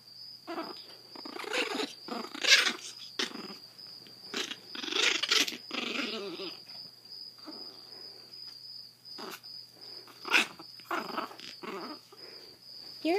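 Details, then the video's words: A blind 7-week-old Chihuahua named Zada, rescued from a Fort Worth, Texas animal shelter and living with severe hydrocephalus, grumbles in uneven raspy bursts mixed with sharp squeaky yelps over a steady high hum. "Grumpy Chihuahua w/ Hydrocephalus"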